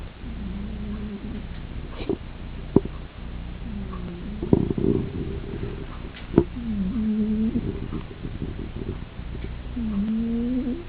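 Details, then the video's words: A Persian cat asleep in its bed on a chair before the fireplace, snoring: soft low nasal rasps in slow rhythm, with faint clicks and crackles around them. "Snoring Spooky"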